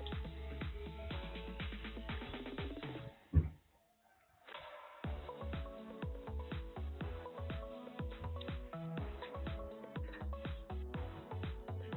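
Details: Rhythmic electronic music with drums plays throughout, broken by a brief pause, with no animal sounds.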